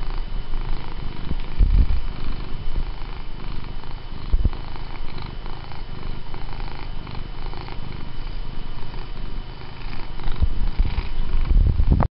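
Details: Benny, a pet cat who pulls a hand back toward his head when petting stops, purrs steadily and loudly close up, a continuous low rumbling throb with occasional handling bumps.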